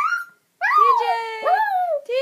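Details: A young pet dog, about a year and a half old, howls indoors when its owner calls or talks loudly: long, bending, voice-like yowls that rise and fall with rich harmonics, a short break between them.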